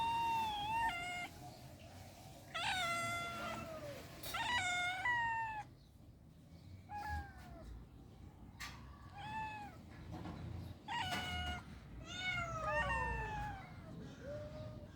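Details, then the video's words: Cats in rural life giving loud, drawn-out harmonic meows in clusters, some long and wavering, others short and falling, with a steady low rumble of background noise beneath. "The sounds of cats in rural life are beautiful"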